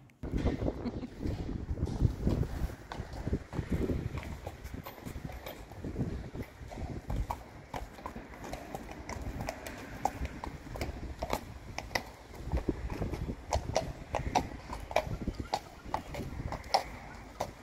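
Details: Friesian horses, a group of six mares, moving with irregular clip-clop hoofbeats over about eighteen seconds, sharp knocks scattered over a low rumble of trampling, with faint voices now and then.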